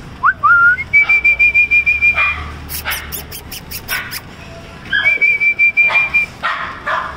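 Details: Male and female Cocker Spaniel puppies in Bangalore give a high, thin whine that rises and holds steady, with quick yips between.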